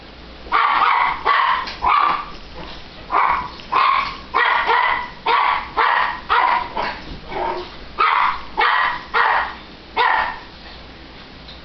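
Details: Sugar, a 7-pound Italian Greyhound called a demon dog, gives a rapid, uneven run of sharp, high-pitched barks and yips.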